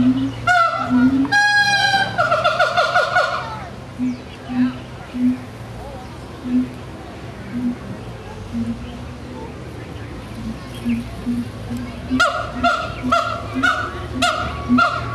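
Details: Siamang vocalizing: loud, rich, harmonic whoops in the first seconds, then a series of short low hooting notes repeated about twice a second. A louder burst of harmonic calls returns near the end over a steady low hum.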